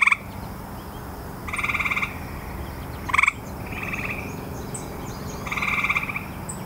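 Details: Grey tree frog chorus: several short pulsed trills, one very brief and loud, others longer and softer, overlapping with more distant callers over low background noise.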